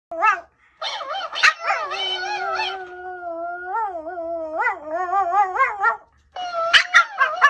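A Pomeranian gives high yips that stretch into a long, wavering, sing-song howl.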